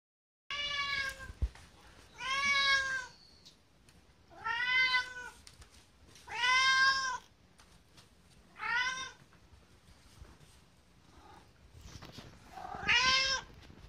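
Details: Kotetsu, a greedy pet cat, meowing insistently for food two hours before mealtime; six drawn-out harmonic meows about two seconds apart, some sounding almost like the word "gohan", in a quiet room.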